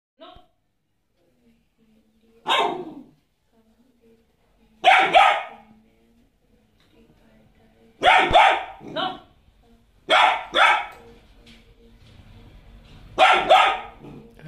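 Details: A Golden Retriever puppy gives sharp, yappy barks in short bursts a few seconds apart while its mother scolds her.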